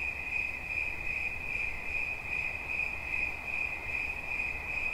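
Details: A cricket's bright, unbroken pulsed song holds one pitch, its strength rising and falling in a gentle rhythm over a faint low background drone.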